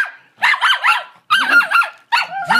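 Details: Ten-month-old puppy protesting a Hoover vacuum cleaner: three bursts of high, wavering, yelping barks with a howl-like rise and fall, separated by short silences.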